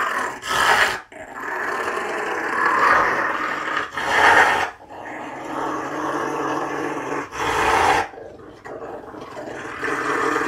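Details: Rottweiler alongside a caracal, giving a low rumbling growl-like purr in long sustained bouts separated by short pauses; a person speaks briefly.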